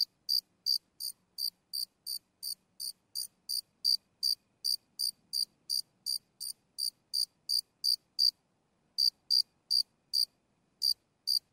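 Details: Single cricket close by, sporadic chirps as bright high pulses in long runs of about three per second, broken by two silent gaps, with a faint low hum underneath.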